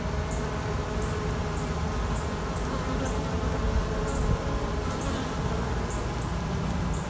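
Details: Steady buzzing hum from a queenless honey bee colony making queens, with faint high chirps repeating about every half second above the drone.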